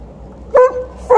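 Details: At the end of a morning walk, Liza the Alaskan Malamute, in heat and angry at TJ the Golden Retriever, gives two short, loud barks about half a second apart.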